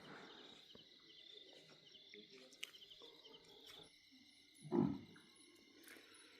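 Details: A leopard gives one short, deep, hoarse roar at night near a forest resort in tiger territory, fading within half a second over steadily buzzing night insects and faint distant murmurs; possibly a second leopard nearby.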